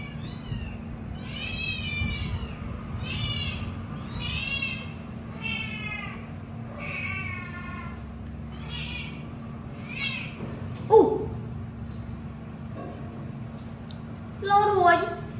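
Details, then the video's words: Three kittens calling for milk: a regular series of clear, wavering meows about every second for ten seconds, then a couple of knocks and one last louder meow, low hum throughout. "Three adorable kittens calling for milk!"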